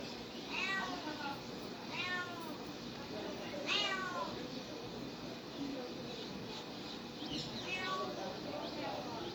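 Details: Cats and kittens meowing: several short, rising-then-falling harmonic meows spaced about every one to two seconds, over a constant hiss and some faint voice-like background noise.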